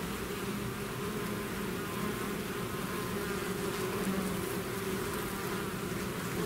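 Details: Many bees in a swarm out of the hive, their combined buzzing an even, low, humming drone that holds steady throughout, dense and without breaks.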